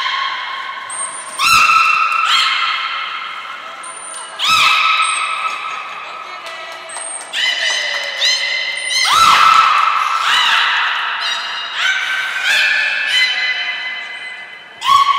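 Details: Belugas Hodoi, Taanya and Mirai in training at Port of Nagoya Public Aquarium on 1 November 2020: loud, bright harmonic whistles, some rising and falling in sweeps, others held steady, cut by sharp pulsed bursts about every one to three seconds.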